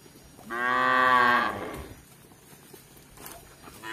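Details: Tame cattle roaming a village in Indonesia in search of grass: one single moo of about one second, rich in stacked harmonics, steady then fading, with a quiet rural background afterwards.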